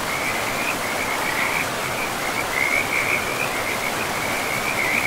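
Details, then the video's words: Beside a forest river, frogs keep up a fast, pulsing trill of high-pitched notes throughout, their chatter rising and dipping slightly against the constant hiss of running water. "River and Frogs sleep sounds"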